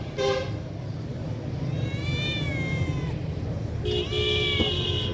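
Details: Cat giving a single drawn-out, wavering meow that rises then slowly falls, set against constant low traffic rumble, with a short horn-like toot at the start and a steady humming tone near the end.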